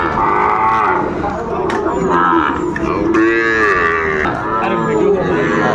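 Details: Cattle at the Ambari livestock market on 22 April 2024, where Sahiwal bull calves are traded; several drawn-out, wavering moos overlap one another beneath steady crowd chatter and voices, with a loud, long call near the middle.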